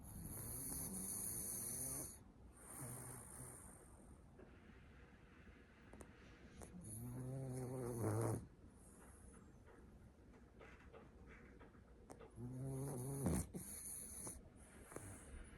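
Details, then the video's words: Sleeping French Bulldog lying on its owner's lap, giving three rattling, low snores spaced roughly every five seconds, each drawn out over a second or more, with quieter wheezy breaths and a steady hiss in between. "フレブル いびきをかいて寝る 犬"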